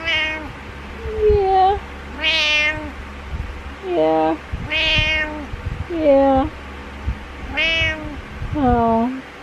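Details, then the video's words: Pet male cat calling insistently in the morning, about seven meows in quick succession, some short and chirpy, others long and wavering, mixed with a person's exclamations. "Cat Meows"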